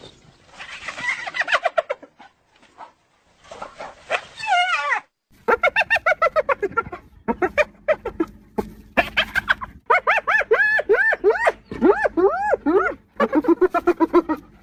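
A hyena gives rapid runs of short, rising-and-falling yelping calls with harsh, cackling edges.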